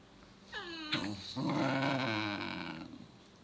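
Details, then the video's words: Two Basenji siblings play-fighting indoors over the tail of one of them, the sister refusing to leave it alone; a rising yelp breaks into a sustained harmonic growl-howl lasting about two seconds, then fades. "Dogs fighting over tail"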